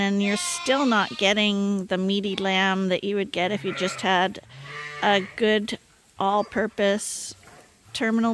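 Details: Bottle-fed lambs on Ewetopia Farms bleat insistently during their twice-daily top-up at a hand-made feeder, tremulous nasal cries crowding together, some rising sharply, with a few brief gaps of quiet.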